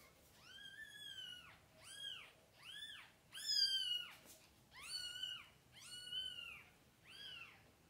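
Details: Mother cat with her kittens, from birth to opening their eyes; a steady series of high, arched meows, about one per second, each rising then falling, clear and loud in a quiet indoor space.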